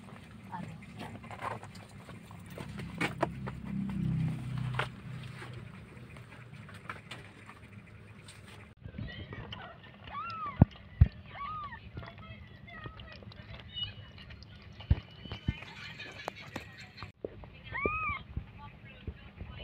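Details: Newborn kittens just after a cat gives birth. Low voices and rumbling fill the first half. Then come short, high, arched mews, rising and falling, scattered every few seconds with soft clicks and rustling.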